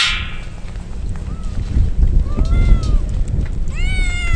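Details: Stray kittens soaked in rain as a typhoon approaches, crying out: a short thin meow, then a longer arched cry and a loud harmonic-rich meow at the end, over steady rain patter and low rumble.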